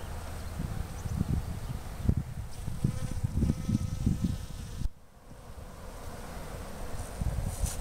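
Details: Honey bees foraging on garden blossoms, Fresno County Blossom Trail, February 2011. A buzzing drone rises and fades as bees pass close, then drops away after about five seconds, over gusty wind noise.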